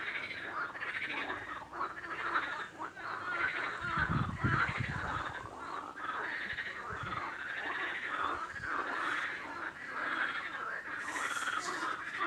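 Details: Dense chorus of many frogs croaking and rattling together in a continuous overlapping mass, with a brief low rumbling thump around the fourth second and a faint hiss near the end.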